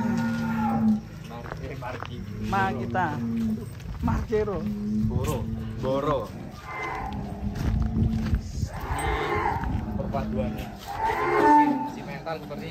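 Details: Huge cattle unloading from a truck: a sustained low moo opens, followed by lower drawn-out lowing beneath frequent people's chatter and laughter, with background music.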